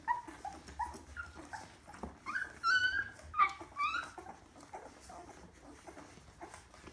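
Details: Kuvasz puppy whimpering indoors: a series of soft, high, rising whines and squeaks, louder in the middle, over a steady low hum.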